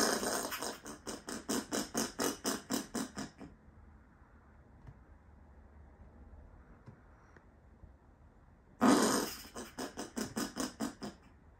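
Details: Male Australian common ringtail possum at night, outside a house, defending his territory against another possum: harsh, pulsed rasping screams in rapid rhythmic bursts, a long series, then a quiet gap before another loud bout.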